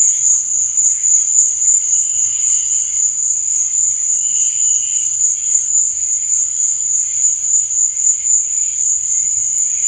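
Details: Nocturnal cricket sound: one continuous, thin, high-pitched chirring that throbs several times a second, with a quieter, lower hum rising in short stretches.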